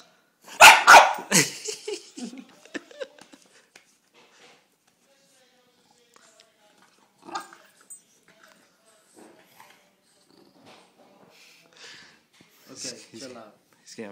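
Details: Bulldog playing a little rough with a man, giving a burst of loud harsh barks at the start, then quiet; people talking and coaxing it to play in between.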